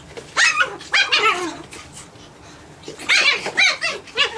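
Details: Nine-week-old Japanese Chin puppies playing, giving two clusters of shrill, harmonic yapping barks, a quick run of three or four near the start and another burst about a second and a half later, over light background hiss.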